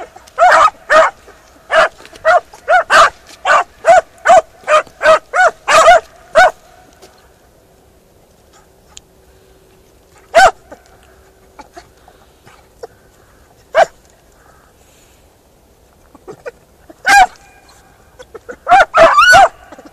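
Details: Beagle Harrier in a ploughed field: a fast series of about fifteen ringing barks, then long quiet with only scattered single barks and a final short burst.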